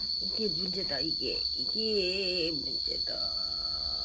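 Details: Momo, a yard cat in Laos, squaring off to defend territory in the rainy season: a run of wavering, warbling low yowls rising and falling for about two seconds, under a constant shrill insect chorus.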